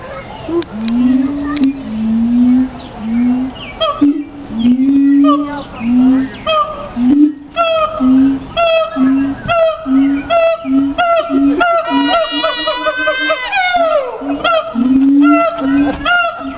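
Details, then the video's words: Siamang calling: a run of short, steady low hoots repeated about once a second, broken by louder harmonic barks and a long whooping note that sweeps sharply downward near the end. "Siamang vocalizing"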